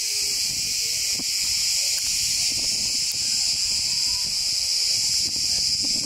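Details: Very loud cicada chorus in a section of forest in Turkey: a dense, unbroken high-pitched buzzing wall of sound, steady throughout.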